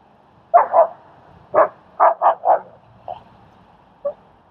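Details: Strike, a German Shepherd, assisting in training and socializing the timid dog Leonidas in Queens, New York; a burst of two barks, then a quick run of four, followed by two fainter single barks, in a quiet setting.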